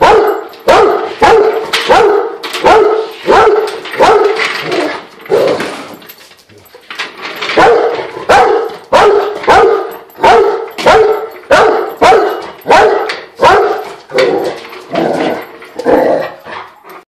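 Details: Rottweiler barking at a floor jack it dislikes: a long run of loud, rough barks about three every two seconds, pausing briefly near six seconds before carrying on steadily.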